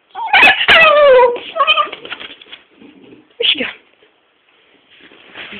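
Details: A female Staffordshire bull terrier that cannot bark 'talks' with her owner indoors: a loud, wavering, howl-like whine slides downward over about a second, followed by shorter yowling notes and a brief yelp, with the owner speaking nearby.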